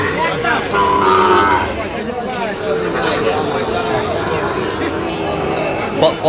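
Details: Sahiwal bull calves at a cattle market where a farmer from Sylhet, Bangladesh, buys stock on 8 October 2025; one harmonic moo lasting about a second rises over steady crowd chatter and men's bargaining voices.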